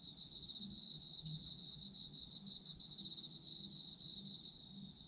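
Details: Chorus of autumn insects for sleep listening: layered high-pitched trilling, one voice pulsed in rapid beads, another a continuous ringing tone, over faint low background hum.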